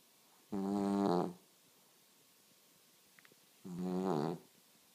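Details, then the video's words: Sleeping dog snoring indoors: two long, rasping breaths with a low, buzzy, harmonic tone, each lasting under a second and spaced about three seconds apart, with quiet pauses between. "Snoring Dog"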